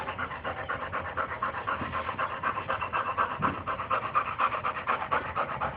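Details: Playful Boxer dog panting hard in a steady rhythm of about two breaths per second, each breath a rough, breathy huff.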